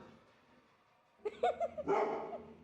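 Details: Labrador Retriever, frightened by a rolling pin and board, gives a few short yelping barks, then a longer harsher bark, with a person speaking quietly before.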